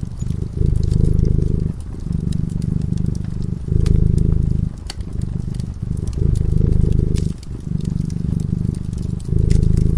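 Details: Cat dozing in front of a crackling fire purrs continuously. Its low, rumbling vibration alternates between louder swells and short pauses about every two seconds, with frequent crisp crackles from the burning wood.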